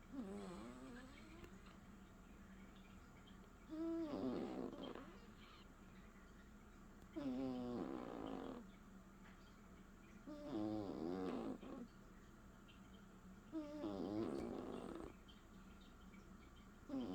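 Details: Leo the cat snores steadily: five rough, buzzy breaths with a whistling wavering tone, each lasting about a second and coming roughly every three to four seconds, over a low constant hum.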